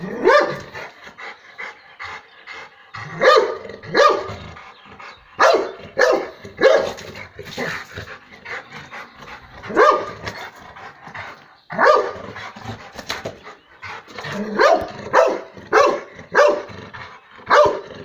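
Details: Rottweiler in the yard of a home in the Po Valley plain, Italy, after catching a grass snake; loud, harsh barks come in irregular bursts of two to four, separated by short pauses, over a quiet background.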